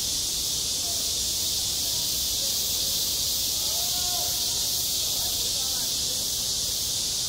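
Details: Cicadas singing on a school playground in midsummer: a dense, unbroken high-pitched buzzing drone with a faint shimmering pulse, holding steady throughout with no pauses.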